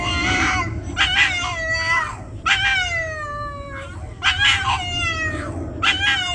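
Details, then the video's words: A singing Boston terrier named Boston gives a run of short rising-then-falling yowls, about one every second, harmonic and whiny, over a steady low background rumble. "Singing Boston Terrier Montage Vol.1"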